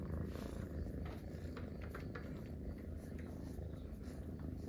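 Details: Three friendly Munchkin kittens curled up relaxing together, purring in a trio; the low, throaty rumble pulses continuously with no pauses, and light brushing noises are heard now and then.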